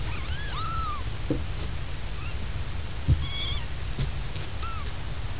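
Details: Kittens giving a few faint, high, arching mews spaced apart over steady low background rumble, with a soft knock partway through.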